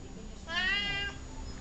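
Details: Columbus, a talkative pet cat, gives a single meow of about half a second with a rising start and a falling end. A faint room hum sits underneath.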